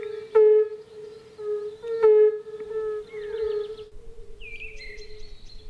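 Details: A chorus of male European fire-bellied toads (Bombina bombina) from a small forest lake in spring, south of Moscow, giving mating calls: soft, mellow, overlapping low hoots with louder 'oop' calls about every 1.5 seconds, then a thin bird whistle.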